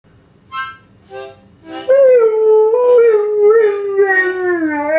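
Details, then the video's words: Samson, a pet dog, singing: after a few short reedy bursts, a long sustained howl rises to begin, then wavers slightly and slowly falls in pitch across three seconds, rich in overtones. "Samson Sings"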